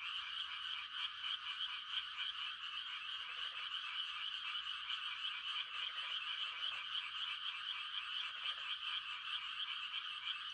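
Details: Frogs giving mating calls on a quiet country night in Korea during rice-planting season: a dense, continuous high chorus of rapid trilled croaks, with occasional short lower-pitched croaking bursts from other frogs.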